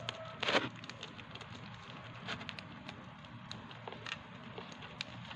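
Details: Hamster nibbling dry seeds, holding its food in its hands while eating: crisp crackling clicks of gnawing, with a louder crunching burst early on, over a steady low background hiss.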